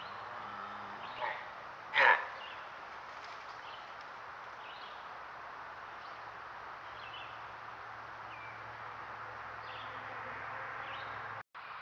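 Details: Deer giving one loud, harsh, abrupt bark near the two-second mark, with a fainter bark shortly before it, over steady outdoor hiss and a low hum, with faint high bird chirps scattered through.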